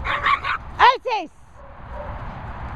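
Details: Dog outdoors at Bumble Hole gives two quick, sharp barks in close succession, each a falling yelp-like bark. A man's voice speaks just before them and low background murmur follows.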